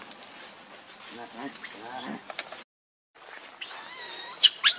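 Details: Baby monkey, hungry and angry, crying to beg its mother for milk: wavering, squealing harmonic cries, a brief silent break, then sharp, shrill, high-pitched screams rising to a peak near the end.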